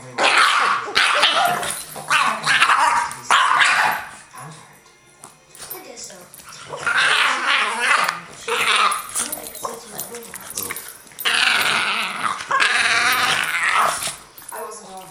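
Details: Two Boston Terriers grumble and growl in rough bursts while play fighting, playing "bitey face".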